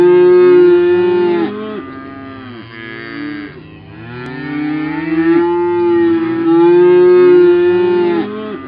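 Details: Belted Galloway cattle lowing, loud drawn-out moos with wavering pitch, several overlapping and repeated through the recording.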